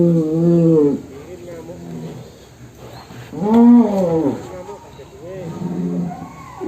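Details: Damarwulan, a big fat cow (sapi lemu) raging as it is let out of its pen. It gives two loud, deep moos that rise and fall, one at the start and one mid-clip, with fainter lowing and human voices between.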